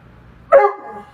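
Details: Pet dog called Bubba, urged on indoors, lets out one short, loud bark that drops into a brief fading tail, with quiet background hum before it.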